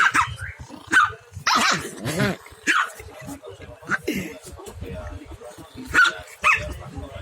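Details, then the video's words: Barking contest between a village puppy and a small dog: sharp yips and barks spaced every second or so, one longer wavering bark near two seconds, quieter low sounds filling the gaps. "Beradu suara anak anjing kampung dan anjing kecil"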